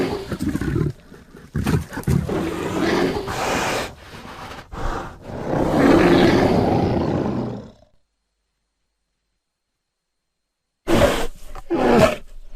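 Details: Bear roaring in choppy, gravelly bursts, ending in a long growling roar, then a few seconds of silence and a final short pair of rough growls.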